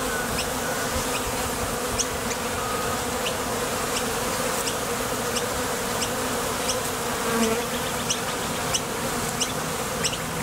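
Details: Honey bees at the entrance of a Top Bar Hive, foragers leaving for and landing from the field in search of nectar; a dense, steady low hum from many wings, dotted with sharp faint ticks throughout.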